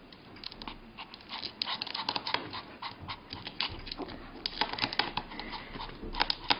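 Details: Pomeranian reaching for a sausage on a coffee table indoors, panting hard: rapid, rough breathy puffs in uneven runs, a faint whimpery edge in places, alongside light tapping and scuffling sounds.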